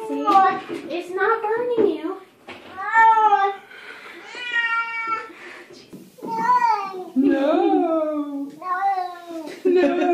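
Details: Pet cat refusing a bath, meowing in protest: drawn-out, wavering harmonic meows in quick succession, some rising then falling, with a person speaking soothingly in an indoor room.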